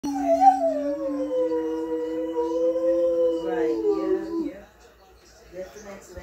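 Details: Red Siberian husky puppy howls like a wolf: a long, wavering howl that slides up, holds, then drops away.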